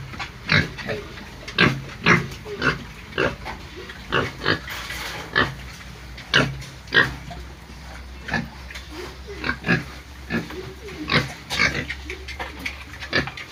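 Pigs give short, sharp squeals and grunts, one after another, about twice a second.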